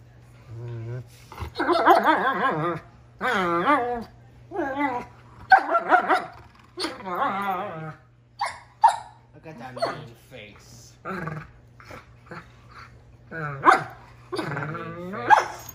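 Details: A 10-month-old male German Shepherd gives long, wavering, Chewbacca-like groaning moans while play fighting, with a person talking between them.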